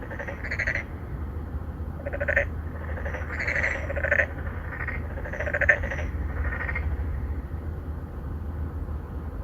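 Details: Three or four narrow-mouthed frogs, an endangered species, court females in an apartment-complex pond in Songdo, Incheon, Korea, recorded on a Galaxy Note 9 in 2019. They give bursts of nasal, pulsed croaks in overlapping clusters over a steady low hum.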